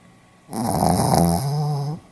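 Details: Dozing Pomeranian, Hiroshima, 4 November 2015: one sustained snore about one and a half seconds long, rough and rattling at first, then smoothing into a steady low drone before stopping.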